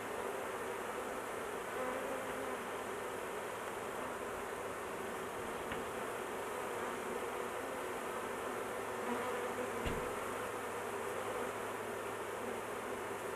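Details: Massed honey bees buzzing continuously around an opened large hive while the queen is kept in a cage to avoid crushing; a uniform, unbroken hum with a couple of faint knocks.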